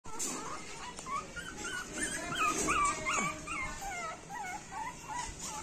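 A small Shih Tzu voices a string of thin, quavering whines and short yelps, each sliding up and down in pitch. The calls come quickly, a few every second, over faint room noise.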